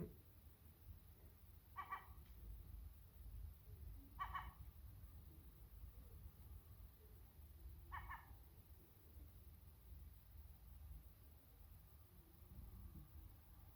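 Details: Sacred Birman cat talking to a seagull: three short, clipped, mid-pitched calls with bright overtones near two, four and eight seconds, spaced by quiet gaps over a steady low wind-like rumble.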